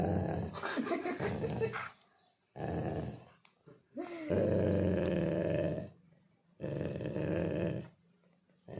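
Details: A Labrador Retriever growls and grumbles in several long, throaty bursts, the noises he makes when angry.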